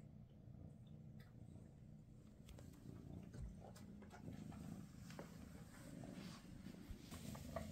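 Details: Low, even purring from Freya, a Maine Coon mother, sharing quality time with her kittens on their last day together; soft clicks and brushing noises are scattered over the steady rumble.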